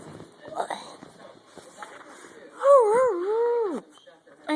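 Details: Jeter, a pet dog, gives a short wobbling howl that undulates a few times before dropping sharply at the end, following a stretch of quiet human chatter and background rustling.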